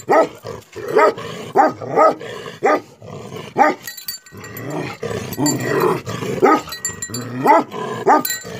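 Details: Angry Tibetan Mastiffs, known locally as Bhote Kukur, barking in deep, rough bursts with uneven gaps. Some barks come singly and others in quick pairs, and a growly stretch runs through the middle.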